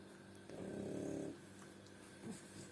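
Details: Oleg, a French bulldog, snores in his sleep with one drawn-out rattling inhalation lasting under a second, then quieter breathing and a short snuffle near the end over a low background hum.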